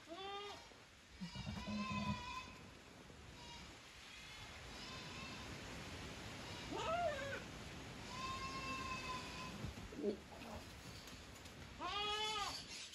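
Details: Savanna goat filmed in Brazil giving scattered quavering bleats near the start, middle and end, mixed with thinner steady tonal calls and a constant background hiss.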